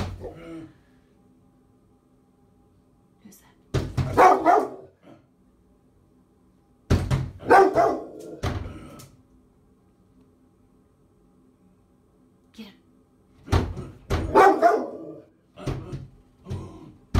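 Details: A female Rottweiler protecting her owner from a threatening man gives deep, gruff bursts of barking. Rottweiler.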